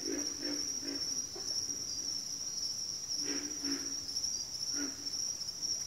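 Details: Frogs calling in a backwater chorus: short low grunting bursts, some in quick pairs, rise above a steady high insect trill that runs without pause throughout.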